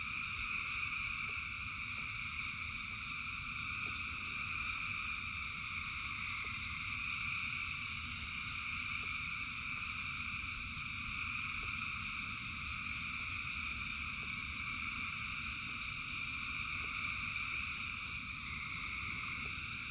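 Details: A massed frog chorus during rain, thousands of voices merging into continuous high-pitched trilling bands, slightly wavering in loudness, underlaid by steady low rain noise and sporadic drip clicks.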